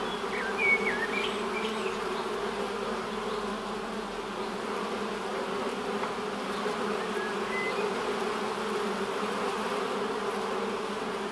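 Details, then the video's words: Continuous humming of many honey bees in flight before the hive entrance, an even layered drone that swells slightly midway, with a brief faint bird note near the start. "Bienensummen am Flugloch - 5 Minuten das Summen der Bienen"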